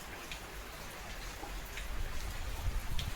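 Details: Rain patters and drips with scattered ticking drops over a low background rumble, growing slightly louder toward the end.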